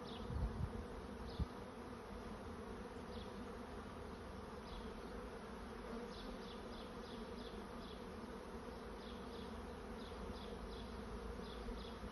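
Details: A honey bee swarm looking for a new home makes a continuous, thick droning hum. Faint, short high ticks repeat over it, with a couple of soft knocks near the start.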